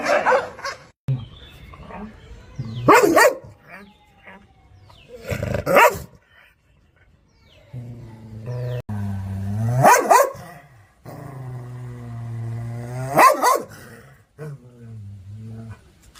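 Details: Angry dog barking directly at the camera in sharp, loud bursts roughly every two to three seconds. Between the barks come lower, drawn-out, harmonic growling whines and huffing breaths.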